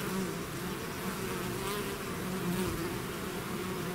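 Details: Swarm of bees leaving the hive: steady, dense low buzzing of countless wings, a constant droning hum with slight pitch wobbles from individual bees passing nearby.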